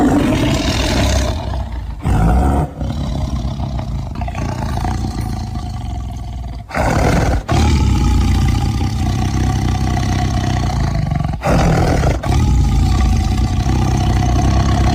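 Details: Tiger roaring: sustained, very deep rumbling roars dominated by low pitch, nearly continuous with a few sharp cuts, a steady harmonic tone running through the rumble.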